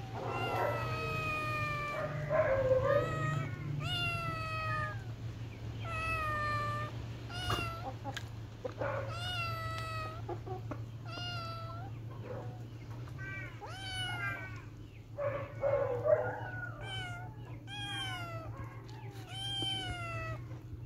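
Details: Playful kittens mew almost continuously: a long run of insistent high meows, some rising and wavering, others bent downward, coming roughly every second, with scuffling noises and a steady background hum.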